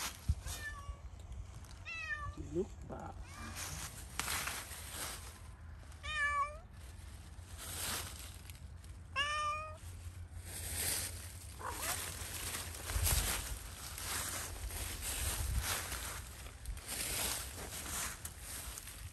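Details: Zoey the cat, let loose to play in Pushkin Park, meows repeatedly, about five drawn-out mews spaced a few seconds apart, with a person speaking and bursts of wind noise between calls.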